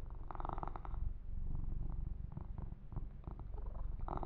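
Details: Low, throbbing purr from the pet kitten Yumak under a gentle massage, pulsing roughly three times a second, interrupted by bursts of soft rustling as his fur is groomed.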